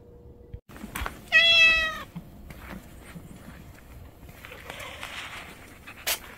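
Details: Orange stray cat that dislikes anchovies gives a single clear, harmonic-rich meow lasting under a second, level then slightly falling, followed by faint rustling and background noise in an outdoor urban setting.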